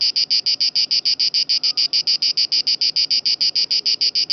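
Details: Italian cicada at Lake Garda (Gardasee) giving a loud rhythmic buzzing song, sharp rasping pulses repeated about three times a second in a very even beat, with faint background murmur.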